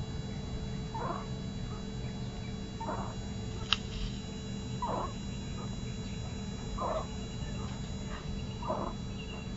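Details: Sleeping kitten makes soft, short squeaky sounds roughly every two seconds, five in all, over a steady low background hum.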